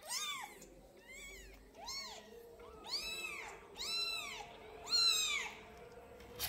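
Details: A kitten at twelve days old gives loud, repeated arched mews, each rising then falling, roughly one per second with short gaps, the last calls strongest and sharpest; quiet room behind.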